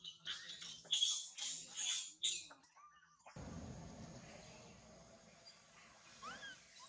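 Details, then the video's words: Baby monkey Mila crying loudly after being bitten and mistreated by its mother: a burst of shrill, strained squeals in quick uneven succession, then a sudden cut to a low rumbling background with a faint rising squeak. "The crazy mother monkey bite and mistreat poor baby Mila, Mila very crying loudly"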